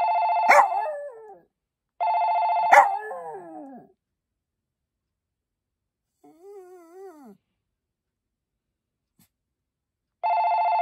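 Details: Poppy, a Maltese dog, howls along with a ringing telephone. Loud one-second steady electronic rings alternate with wavering, falling howls, and a softer solo howl sits in the gap between rings.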